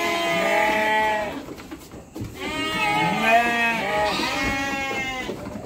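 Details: Garut lambs about three months old, shipped to Purwakarta, give long, tremulous bleats, two or three drawn-out cries with a downward bend at the end, in a steady background hum.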